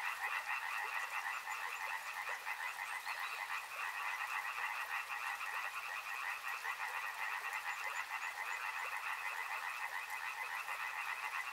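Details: Frogs in full chorus near a river, many voices trilling at once in layered bands that form an unbroken wall of rapid croaking, with light hiss above.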